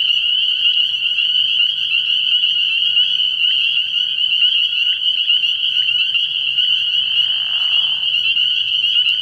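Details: Nighttime frog pond early in the year, packed with spring peepers: unbroken shrill peeps layered into one high ringing band, interrupted late by a brief, lower, scratchy sound.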